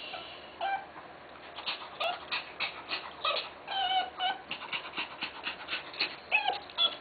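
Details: Tenterfield Terrier female in Japan during birth, a rapid run of short, high squeaky whines and yips, some bent upward in pitch, pulsing about twice a second over a quiet indoor background.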